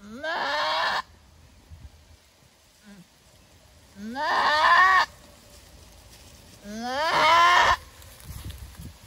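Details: Female goat giving birth for the first time, a hard delivery producing one kid, screaming loudly: three long harmonic bleating cries, each about a second, rising then wavering, spaced roughly three seconds apart, with quiet pauses between.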